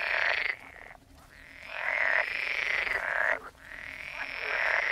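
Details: Several frogs croaking together, long grating trills lasting about a second each with brief quiet gaps between bouts.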